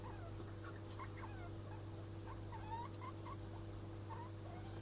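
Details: Mating degus, with a male that has a white neck ruff, give clusters of brief squeaky chirps and a few longer wavering squeals against a constant low hum.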